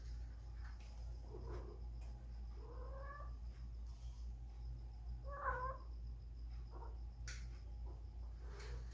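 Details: Whisky, a spayed female cat in heat looking for a mate, gives several short wavering cries over a steady low hum and background hiss, with a few sharp clicks.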